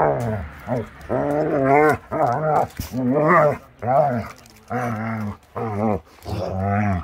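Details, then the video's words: Playful Akita Inu puppies romping around the yard at the start of the warm season; nearly continuous harmonic growls and whiny grumbles, rising and falling, in bursts roughly every second, with brief gaps of scuffling. "The crazy play of Akita Inu bears"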